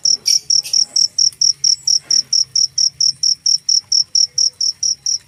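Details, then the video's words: Cricket chirping: a steady train of high, ringing, pulsed chirps, roughly three to four each second, very even in pitch, with a faint low hum underneath and a few soft knocks. "suara jangkrik"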